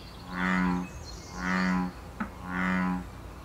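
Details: American bullfrog in Canada during breeding season, calling to mate: three deep, droning rumbles about a second apart, each roughly half a second long, with a brief click between the second and third.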